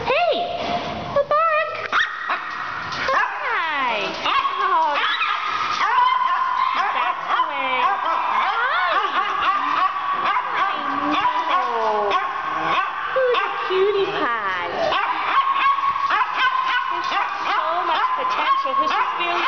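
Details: Dogs in indoor isolation kennels at North Central Animal Care Center shelter, August 2011, including small Chihuahuas; a continuous chorus of high yelps, rising and falling whines and sharp barks overlapping, with a person talking over them.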